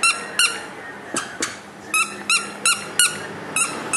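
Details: Young male Maltese dog born 29 January 2012, indoors: short, high, squeaky yaps with bright overtones, repeated in quick bursts about every half second, with a quiet room background.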